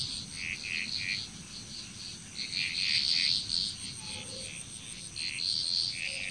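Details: Frogs calling in a nighttime-style chorus in Bali, Indonesia. Bright, quick pulsed notes come in clusters, with lower blips now and then, over a steady high whine and soft low rumble.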